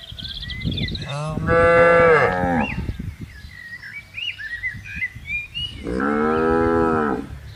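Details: Cattle roaming a green pasture with buffaloes: a loud, full moo, then soft bird twittering and rustling, then a second steady moo lasting over a second.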